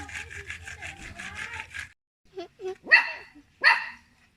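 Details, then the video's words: Little pet dog barking at people; a buzzy, rhythmic stretch with voices at first, then after a pause two sharp, loud barks close together near the end. "Little dog barking at people"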